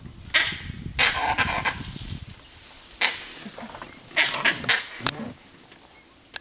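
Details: A monkey in Bandipur forest gives harsh, explosive calls in short bursts, with low rumbling and faint voices underneath.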